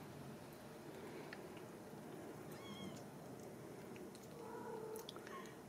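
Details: Ragdoll kittens raised indoors at a home cattery in central Kansas, giving short, thin, high meows, one slightly bending in pitch near the middle and another toward the end, over a soft steady room hum.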